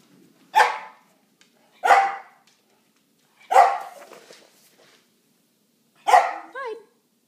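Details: Pet dogs indoors at night, with Clyde and Rover being settled in and introduced to Fiona by sight, sound and smell without interacting: four sharp, loud barks spaced about one to two and a half seconds apart, the last ending in a brief tonal tail.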